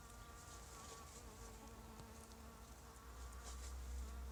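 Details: Violet carpenter bee (Xylocopa violacea) collecting pollen on runner bean plants; a steady, low droning buzz with a clear humming tone that holds unbroken for the whole stretch, swelling slightly near the end, over a faint background hiss.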